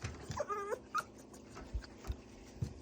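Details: Pet Pomeranian whimpering at mealtime during sit and wait training: a short high whine rising then falling, followed by a brief squeak about a second in, with soft handling clatter and a person's quiet voice.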